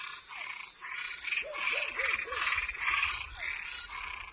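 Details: Nocturnal toads and tree frogs: loud grating croaks about twice a second, joined midway by a run of four bouncing lower notes, with a persistent shrill hum underneath.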